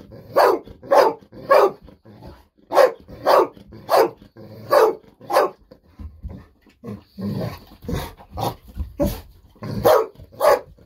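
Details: Golden Retriever Bis, a pet dog, barking excitedly indoors while waiting for fish-sausage treats; loud sharp barks repeated about every half second in a steady run, with a short quieter stretch of softer sounds near the middle.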